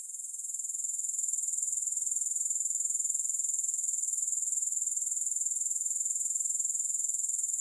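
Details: Unbroken shrill insect trill from grasshoppers, with no music: a thin, very high buzz of rapid, even pulses that swells slightly in the first second and then holds steady.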